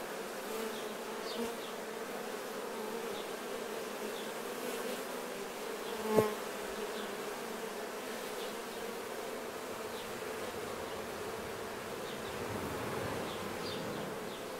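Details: Honey bees grooming nectar off their bodies during honey harvesting: a continuous low droning hum, a single sharp knock near the middle, and scattered faint high chirps over the buzz.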